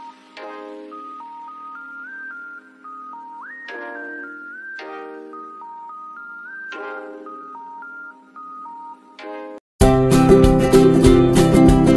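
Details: A soft bell-like melody of repeated notes plays, then gives way abruptly to loud, dense music near the end, with no animal heard.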